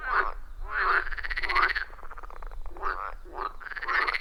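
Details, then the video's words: Loud chorus of frogs around a wild forest pond, phone-recorded; long grating, rattling croaks with rising tone run nearly continuously, several animals overlapping, with low rumbling background. "30 Minutes of Frog Sounds at a Forest Pond"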